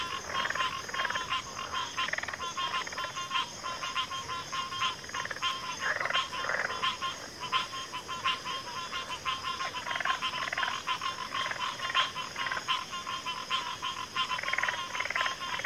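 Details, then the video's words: Frog chorus with many overlapping callers: dense pulsed croaks and trills in a mid-high band, a steady tonal hum beneath, and brief louder bursts scattered throughout without pause. "FROGS - Pig Frogs, Water Frogs, Backwater Chorus, & Frog Chorus"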